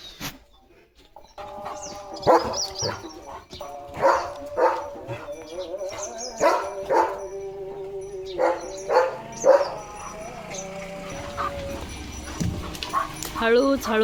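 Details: Leo, a pet German Shepherd, during a lively morning play session: a string of short, sharp barks at uneven intervals, some with ringing harmonic overtones, set against faint background music and a quiet opening second.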